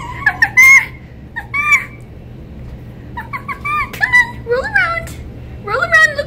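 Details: Winter, a female red fox rescued from a fur farm where she lived her first five months, whines and wags her tail when petting stops: clusters of shrill, wavering, squeaky whines, some rising then falling, in quick bursts.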